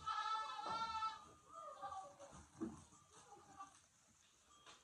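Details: Goats indoors in the barn on a snowy night, demanding their grain during evening chores. A long, loud, harmonic bleat opens the clip, followed by softer wavering calls and shuffling in the barn.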